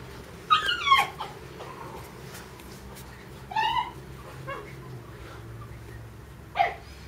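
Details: Mame Shiba puppy, one of a pair of sister puppies, indoors in a small room; a few short high whimpering yips with bright harmonics, one double yelp near the start, then single squeaks spaced by quiet pauses.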